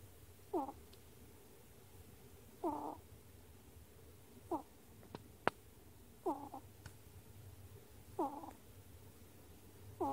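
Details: A pet ferret snores in squeaky, wheezing bursts, one with each breath about every two seconds; recorded 10 March 2018.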